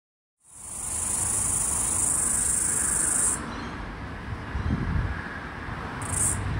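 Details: Floury baker cicada, the last one heard in Australia's summer of 2022/2023, near a busy street: a loud, high, steady buzz holds for about three seconds, cuts off, then returns in one brief burst over low traffic rumble.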